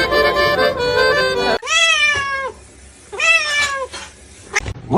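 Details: Domestic cat giving two drawn-out meows, each a strong tonal cry that rises slightly and then falls, separated by about a second of quiet; upbeat music plays at the start and stops before the first meow.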